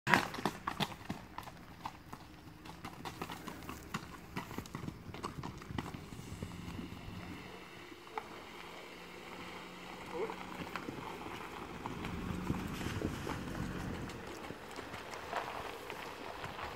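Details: Mangalarga Marchador horse during a repasse session: steady rhythmic clip-clop of hooves on hard ground through the recording, with faint voices and background rural noise.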